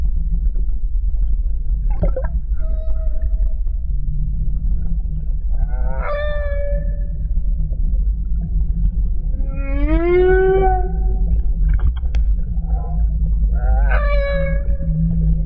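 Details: Underwater off Tahiti Iti on 29 October 2014, a whale with its calf nearby sings drawn-out moaning tones that swoop and bend, rich in overtones, spaced a few seconds apart.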